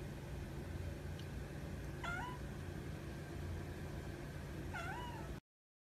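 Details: Calico polydactyl cat making two short, chirp-like meows about three seconds apart over a constant low hum.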